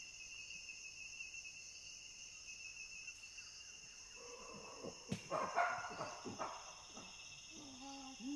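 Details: Chimpanzee pant hoot building from quiet breathy panting into loud rising hoots, then harsh overlapping screams and barks from about five seconds on, over a steady high-pitched background hum.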